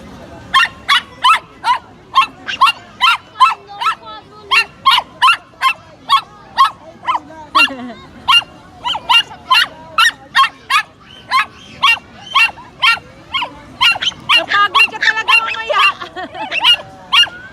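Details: Pomeranian meeting a new friend, yapping steadily with sharp, high-pitched barks roughly twice a second for the whole stretch, the barks crowding closer together near the end, with faint voices in the background.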